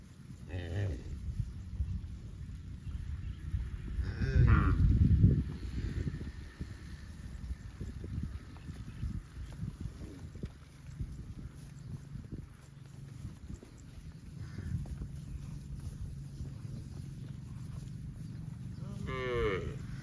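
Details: Cattle roaming in fields: a loud, brief moo early on and another rising moo at the very end, separated by long stretches of low rumbling outdoor noise.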